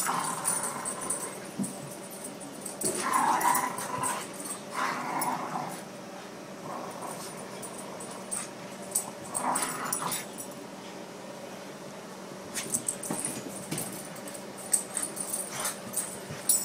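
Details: Two dogs at play indoors, Luna with her favorite toy and Boston Terrier Wesley: rough growling and soft whimpers rise and fall in irregular bouts, with scuffling and clicks around them in a small room.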